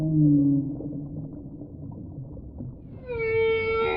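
A whale's voice opens with deep, wavering moans below a low rumble of water. After a short lull comes a brighter, steady tonal call, rich in overtones, held for about a second.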